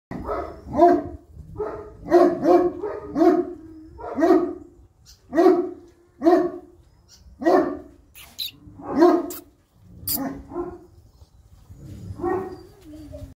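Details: Young female European Great Dane barking in a steady series of deep, full barks, often in quick doubles, roughly one to two per second, with brief pauses and a softer whine-like bark near the end; no other clear sounds.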